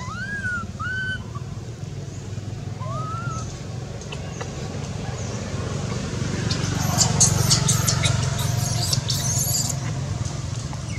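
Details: Skinny baby monkey Anissa, whose mother Anna has no milk and fights her hard, gives three short arched whistled cries in the first three seconds, with fainter harmonics, over a steady low hum and later scratchy rustling.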